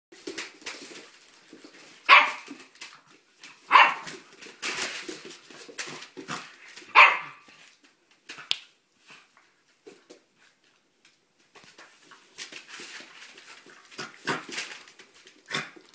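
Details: Dog playing boisterously with puppies indoors; a few sharp, loud barks burst out near the two-, four- and seven-second marks, separated by softer scuffling, panting and pawing noises from the romping animals.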